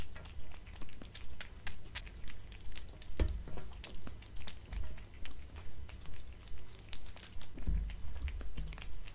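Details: Domestic cat crunching dried fish treats and cat food served on a glass table; regular bursts of crackly chewing about twice a second, a few louder thuds, and a low background hum.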